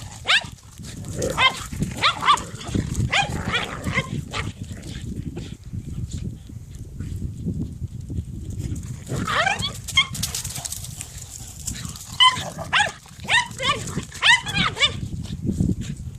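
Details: Dogs in a fight, bursts of harsh snarling and yelps in clusters with short quiet gaps, squealing high notes around ten and thirteen seconds, steady low rumbling underneath.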